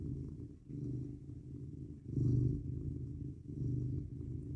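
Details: Cuddling cat purring in bed with its owner while it is 19 degrees F outside; throaty rumbling purr with a stronger swell midway, breath-paced pulses and no other sounds.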